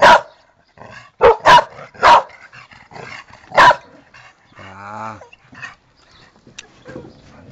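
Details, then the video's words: Tera, a pet dog, lets out a quick burst of loud barks, then a lower growl-like vocalisation and quieter whines, while a person talks softly in Spanish. "PANTERA TEX-MEX DOG"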